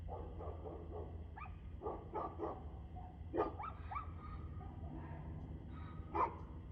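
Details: Dog at 6:02pm, 2/6/2024, giving a string of irregular barks, some doubled, some single and louder, spaced roughly every half second to second over a constant low hum of background noise.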